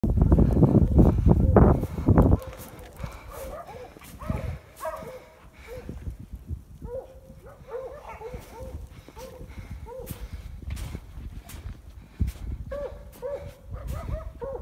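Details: Coyote hounds baying while chasing a red coyote into a rock den. A loud low rumble fills the first two seconds, then repeated hoarse, harmonic bays come several times a second, with overlapping voices from the pack.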